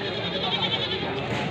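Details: Goat bleating at the Wlingi integrated livestock market in Blitar, where nanny goats are sold with their kids, some with three. A sustained, nasal, harmonic bleat sits over steady crowd chatter and market noise.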